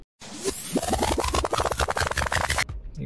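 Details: Loud electronic music with rapid scratching and whooshing effects, and no animal voice.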